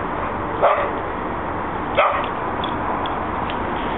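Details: Two dogs, Alex and Benny, chase each other in a back yard after a good walk. Two short, sharp barks sound about a second and a half apart over a steady, noisy outdoor hiss.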